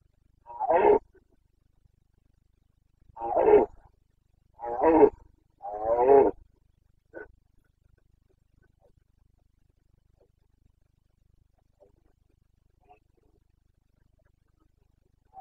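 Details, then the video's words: Red deer stag of the Carpathians bellowing in the rut, Bucovina, 2022: four rough, throaty roars spaced one to three seconds apart, followed by a faint grunt and a long near-silent stretch with tiny clicks. "Boncănit / Carpathian stag Breeding season"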